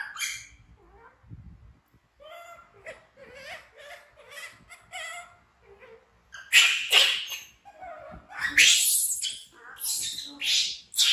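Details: Orphaned baby monkey Bean, found in the jungle without its mother and cared for by villagers, screams in fright while another young monkey, Momo, tries to comfort it; squeaky cries rise into loud, harsh, repeated shrieks.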